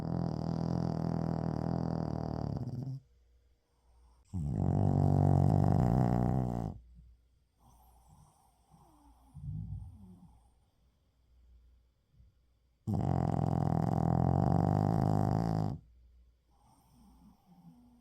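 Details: Shih Tzu named Uijung napping in the daytime, recorded 31 October 2024, snores loudly: three harsh, buzzing, growl-like snores of two to three seconds each, separated by quiet snuffly exhalations.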